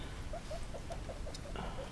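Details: Caramel and Toffee, one-day-old baby guinea pigs, 24 hours old, give quiet, short, high squeaks repeated about five times a second, then a pause and one more, over soft background hiss.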